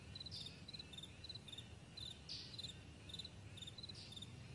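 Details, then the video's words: Morning meadow crickets chirping: quick, high, clipped pulses in small clusters, repeating about every half second. Occasional soft hissing flares and a steady low background hum run beneath. "Morning Crickets"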